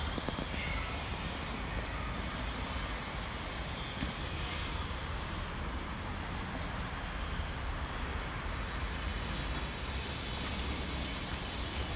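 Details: Outdoors, a steady loud roar of engine or aircraft-like noise fills the whole recording with no animal voice heard.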